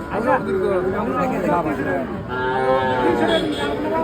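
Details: Cattle lowing at a wholesale and retail livestock market where trade is slow; a couple of drawn-out, wavering moos under loud overlapping human speech.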